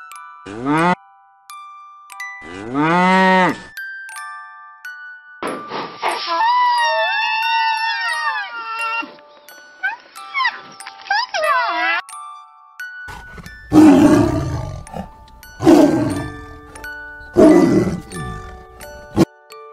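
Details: Cow mooing in several calls, some short and one long, drawn-out, rising-then-falling moo. Gentle chiming mallet music plays underneath throughout, and louder rough lowing bursts follow near the end.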